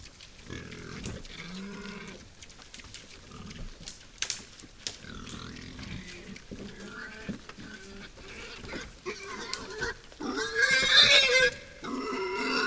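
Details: Wild boars foraging at a forest feeder by night keep up irregular grunts and snorts, then a loud, rasping squeal rises near the end before the grunting resumes.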